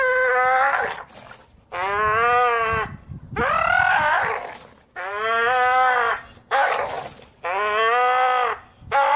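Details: American Staffordshire Terrier giving a run of drawn-out, tonal howling whines, five wavering calls each lasting about a second, separated by brief pauses with soft rustling in between.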